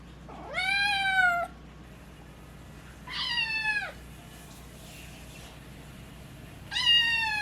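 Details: Naru, a cat going through a voice change while ill with FIP, lets out three hoarse, harmonic-rich meows spaced about three seconds apart. The middle one slides downward; the others stay fairly flat. The room is otherwise quiet.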